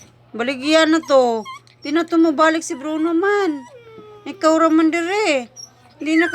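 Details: A dog cries in long, quavering, voice-like wails that rise and fall, three or four phrases with short pauses between, above a faint constant hum.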